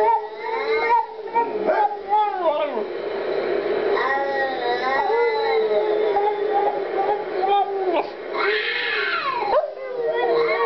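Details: Female Boston Terrier named Rose singing opera in drawn-out howls, pitch bending in arcs and swoops, phrases separated by short breaths, a louder rising cry near the end, human voices faintly mixed in.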